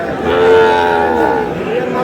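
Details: Sahiwal bull calves at a Kurigram cattle market in Bangladesh, recorded on Tuesday 3 March: a sustained, steady low moo with rich harmonics held for about two seconds, with faint market background.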